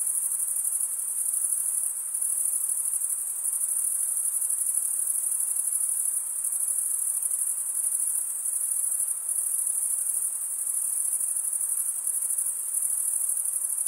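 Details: Male crickets chirping by stridulation, wing scraped over a comb of teeth on the other wing; an unbroken, very high, finely pulsed ringing chorus holding an even level across the whole stretch.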